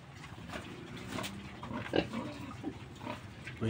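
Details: Kept sow with two young pigs grown to roasting size, fond of ipil-ipil leaves; a few short low grunts, one louder burst midway, under a man talking in Tagalog.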